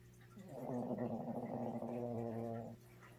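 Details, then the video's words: Little dog snoring loudly in its sleep; one sustained, rattling, gargle-like snore lasting about two seconds, rising in and fading out, with a steady low hum behind it. "My Little Snoring Dog"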